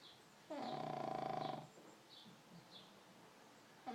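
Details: Sleeping pug letting out a single loud, rattling snore of about one second, made of rapid fluttering pulses, followed by soft, quiet breathing.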